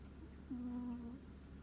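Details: Single drawn-out snore from a deeply sleeping domestic cat, an even, humming nasal tone lasting under a second against a soft low background hum.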